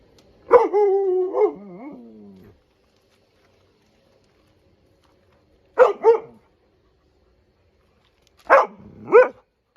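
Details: A male Husky/Malamute dog outside barks and howls at pool toys he hates. A long drawn-out howling bark is followed by two short bursts of doubled barks, with silence in between.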